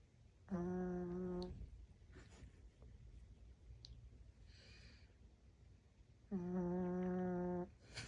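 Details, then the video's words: A sleeping dog snoring: two steady, droning, nasal tones about a second long each, the second coming roughly six seconds after the first, with quiet room hiss and faint rustles in between. "My dog snoring"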